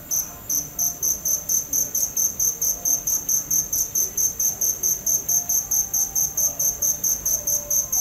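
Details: High, ringing cricket pulses follow one another steadily at just over two per second for eight seconds, with scattered faint tones in the quiet background.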